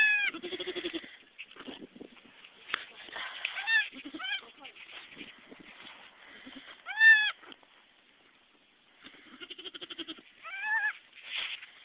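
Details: Goats at a kidding, where a nanny delivered three live kids: intermittent high, shaky bleats, one sharp loud cry near the middle, over background talking and rustling.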